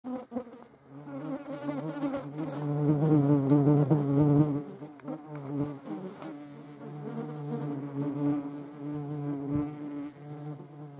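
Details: European hornets fighting each other: a low, droning wing buzz with rich harmonics that swells loudest around the middle, wavers in pitch as the insects tussle, then settles into a steadier hum.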